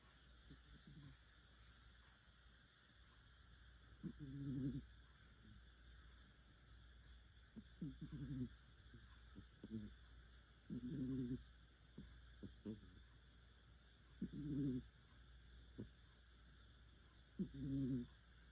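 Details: Sleeping cat snoring quite heavily: low, rough, buzzy breaths swelling and fading every three to four seconds, each with a stacked harmonic rasp, and short soft clicks and quieter puffs between them in a still room.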